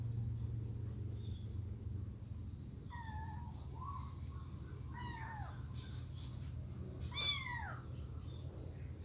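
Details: Kittens, three of them, calling to return to their mother, give a short run of bending meows, then a louder, brighter cry that sweeps downward; low background rumble throughout.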